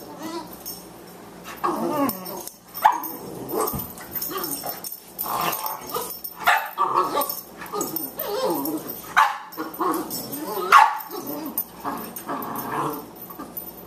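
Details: Two Boxers at play, the 14-week-old puppy Margie and the older Lou Dog, trading playful barks and throaty growls in irregular bursts separated by short pauses, with scuffling between calls.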